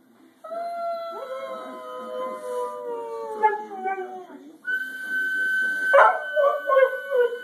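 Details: A pet dog howling: a long, steady tone that slowly slides downward for about four seconds, then a higher held note that breaks into wavering, falling yelps near the end.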